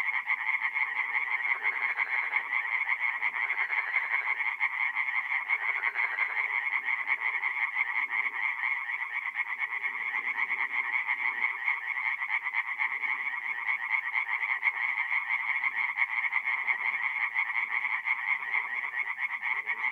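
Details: Twenty seconds of unbroken tree frog chorus from a forest pond by night, north-east Italy, April: rapid repeated croaks from many frogs blend into a loud, even, high-pitched rattling drone.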